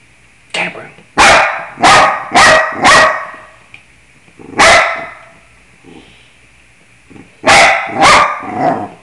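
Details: Bruno the dog, singing to the scales, gives bursts of loud barks, four in quick succession, one alone, then two more with softer yips and faint tonal sounds between.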